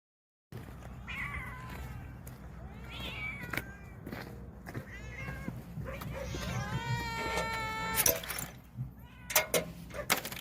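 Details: Stray cats living in a vegetable garden, waiting for special nourishing food, meow repeatedly; several harmonic meows rise and fall, the longest near the end, with clicks and rustling around them.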